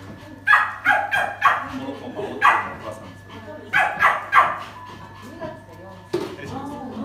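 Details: Poodle with a biting habit, in training for a timid owner, barks in short sharp bursts, several in a row around half a second to two and a half seconds, then again near four seconds, with people talking throughout.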